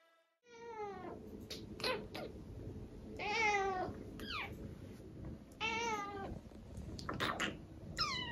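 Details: Domestic cat being fed raw food gives a run of about seven meows indoors, each a harmonic, drawn-out wail that rises then falls, some short and clipped, some longer and nasal, spaced roughly a second apart.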